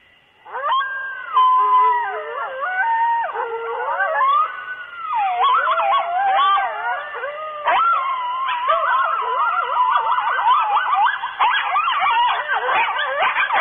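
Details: Chorus of coyotes howling near the microphone around 2:30 am at night at Starr Ranch: several overlapping wavering howls and yips sliding up and down, building into a dense, continuous group chorus.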